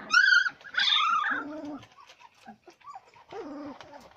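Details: Labrador retriever puppies whining: a loud, high, tonal cry first, then longer wavering whines that fall and level off, followed by softer scattered whimpers.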